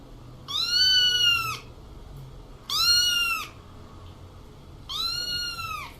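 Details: Small cat meowing three times, about two seconds apart; each meow is a high, clear, arched note that rises slightly, then falls at the end, over a quiet low background hum.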